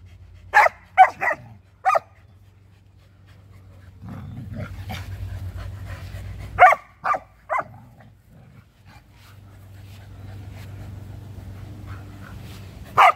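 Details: Samoyed Luma chasing her younger Keeshond brother Zuko around a yard in winter, he in a half-buttoned vest; short sharp barks come in quick bursts of two or three, with pauses and a low steady hum beneath.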